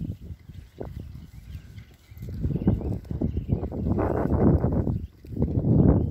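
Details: Low, rough grunting from Berkshire pigs settling into a new paddock, sparse at first, then swelling into a louder, continuous stretch of snorts and grunts toward the end.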